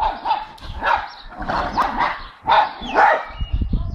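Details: Young blue Staffy Dexter, four months old, and Milly bark at the neighbours' dogs: short, mid-pitched barks repeated roughly twice a second at an uneven pace, with some yelping, higher overtones.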